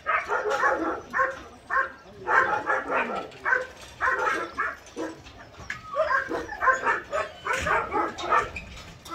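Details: Chorus of barking from rescued lost and abandoned medium-to-large dogs at a Gyeongju, South Korea training shelter housing some 200 dogs; bursts of overlapping barks come in waves with brief quieter gaps and occasional whimpers.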